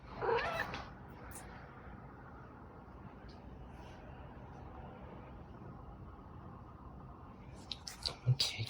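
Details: Female pet cat vocal while performing tricks indoors: a short loud harmonic cry at the start, then quiet room noise, with a woman's voice and clicking sounds near the end.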